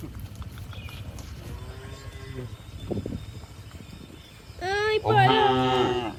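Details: Cows on the move across a hill, first soft distant lowing, then a loud close moo with rich harmonics sweeping up and holding for over a second, over low rumbling background.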